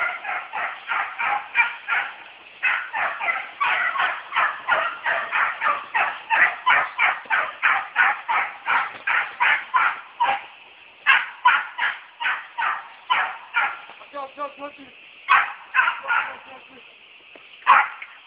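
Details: Boar-hunting American Beagle, a purebred that rouses the boar and keeps chasing without backing off, sounding its pursuit cry: fast, evenly spaced barks of about three per second, thinning to scattered yelps and a faint low note toward the end.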